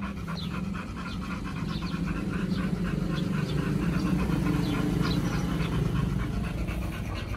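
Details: Raw-fed Pit Bulls Oliang and Nomyen picnicking at a dog hotel on Chinese New Year 2021, eating beef, duck and chicken. Fast, regular panting at about four breaths per second, with light chewing clicks throughout.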